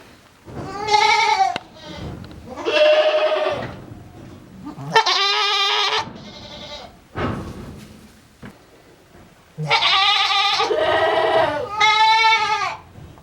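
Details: Strange-sounding bleats from a male goat at a Japanese goat farm, December 2022: several drawn-out, quavering cries with bending pitch, some paired back to back, separated by brief pauses with faint background rustle.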